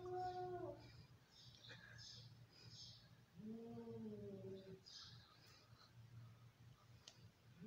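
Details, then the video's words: Angry domestic cats fighting: low drawn-out wavering growls and yowls with sliding pitch, one opening cry and a longer moaning yowl midway, among faint rustling and a low steady hum. "Angry cats, cats fighting,sounds of an angry cats"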